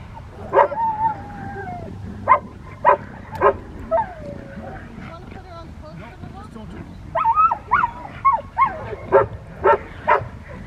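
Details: Rottweiler barking during Schutzhund protection training: sharp single barks in short bursts, roughly eight in ten seconds, with a man's voice calling and talking between and over them.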